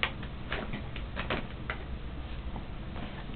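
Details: Faint ticking and tapping in a small room, with no animal voice heard.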